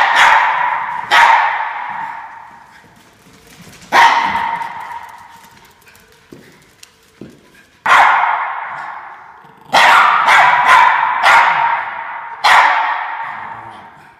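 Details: Norfolk Terriers chasing a fox, barking in sharp, loud bursts, single and in quick pairs or triplets, each echoing briefly before fading, with quieter gaps and faint rustling between the barks.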